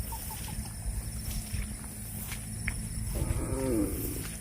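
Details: Cattle eating grass; after a few seconds of low rumbling background, a clear moo lasting under a second swells in, rich in layered harmonics that bend slightly downward.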